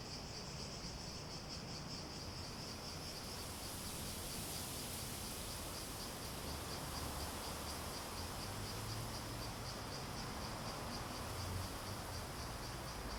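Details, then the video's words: High buzzing cicada chorus, throbbing about four times a second without pause, over a soft, broad background hiss. "Relaxing Sounds With Cicadas"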